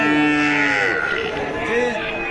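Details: Heifer at a cattle market in Joypurhat, Bangladesh, where young cows are sold. One drawn-out, harmonic moo lasts under a second, followed by lower rising notes, while market traders talk nearby.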